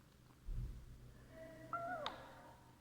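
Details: A cat meowing while eating: a faint, drawn-out tonal call around 0.5 to 1 seconds, then a flat-pitched meow that bends downward near its end, with a soft low hum and a brief sharp click beneath.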